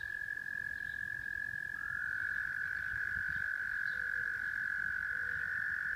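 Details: Singing frogs recorded in Rochester, New York: a steady, loud trill that shifts slightly in pitch partway through, joined by short, rapid lower notes near the end.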